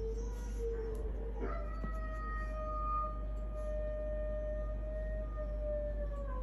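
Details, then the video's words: Pet dogs howling indoors: a long sustained tonal howl holding steady around a mid pitch with a higher overtone, a second voice briefly joining near the start, low steady background hum throughout. "Our dogs howling"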